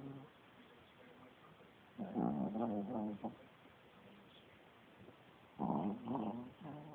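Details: Sleeping Chihuahua snoring loudly indoors, two rattling, pulsing bursts of breath about a second long each, separated by quiet stretches of soft background hiss.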